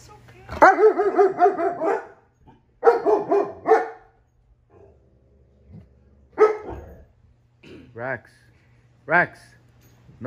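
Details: Rex, a 10-month-old male German Shepherd, play fighting and sounding like Chewbacca: long warbling, harmonic groan-barks in two bursts, then shorter separate yelping moans. A brief voice is heard between them.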